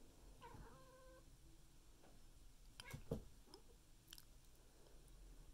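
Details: Scaredy-cat meeting a newly rescued bunny indoors, slapping at it: one brief, tonal meow with clear stacked harmonics early on, followed by scuffling, thumps and rustling movement.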